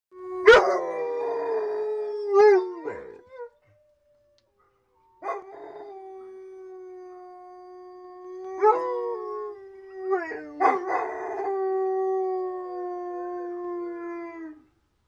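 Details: An Alaskan Malamute "sings," howling in long, steady, mid-pitched notes that waver and slide at the ends.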